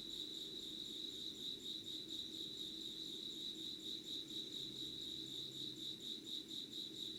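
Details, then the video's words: Insects calling at 5 a.m. on 25 August 2019 in Yugawara, Kanagawa, Japan: a steady, high, pulsing chirr repeated about twice a second, with overlapping callers and a soft low background hum. "Sounds of insects with candle light"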